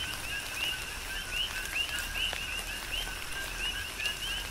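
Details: Coqui frogs calling in tropical rain on the Big Island, Hawaii: many overlapping two-part chirps, a short low note then a higher rising whistle, repeated steadily, with the patter of raindrops throughout.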